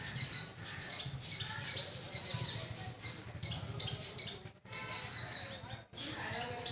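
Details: A small squirrel gives loud, harsh, high-pitched chattering bursts in quick repeated runs.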